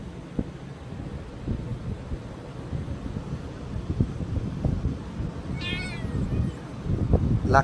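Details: Kitten pleading with its owner, who talks about not giving it fish; a single high, harmonic-rich meow near the end follows several seconds of low rumbling background and soft taps, with a short upward cry right at the close.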